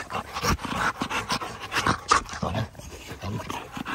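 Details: Pit bull panting hard, rough breathy bursts coming roughly twice a second in an uneven rhythm, with scuffling and handling noises close by.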